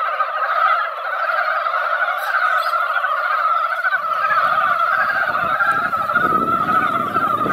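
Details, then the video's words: Mountain frogs gathered in a quiet hillside pond after a light rain, a yearly spring breeding chorus: dense, continuous overlapping croaking forming a loud steady band, with low rumbling noise entering in the second half. "산개구리 노래"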